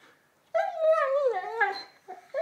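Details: An 11-month-old Labrador Retriever excited by a new ball indoors lets out a long, wavering, howl-like whine that sinks gradually in pitch over about a second and a half, followed by brief softer yelps.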